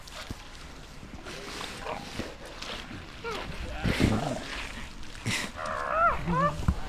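Elephant seals give wavering, nasal moans and throaty calls over a rough, rumbling background.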